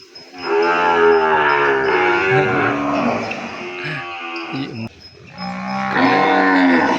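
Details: Cattle calf in a pen, newly separated from its mother because the calves have grown big, crying out for her: one long, loud, strained moo with rich wavering harmonics, breaking briefly near the end, then rising again.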